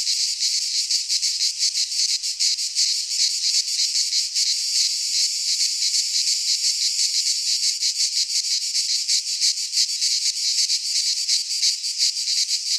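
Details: Midsummer cicada chorus in a pine forest in Greece, a loud shrill buzz that never stops, its surface beating in quick regular pulses roughly three per second; nothing else is audible.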